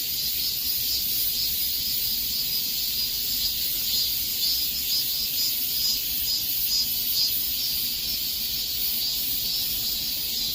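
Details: Cicadas singing in summer heat make a sustained high-pitched buzz, throbbing lightly around twice per second throughout.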